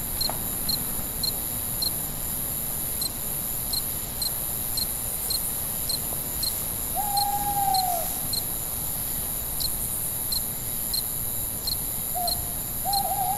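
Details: Night-time cricket giving a steady series of short, high chirps about twice a second, while an owl hoots lower in the background with drawn-out, slightly wavering notes.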